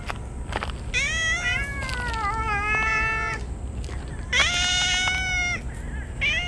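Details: Stray ear-tipped community cats crying out with joy while rubbing against each other at feeding time on a scorching summer day; long, loud, drawn-out meows with rich harmonics, one wavering call lasting over two seconds, then another rising cry.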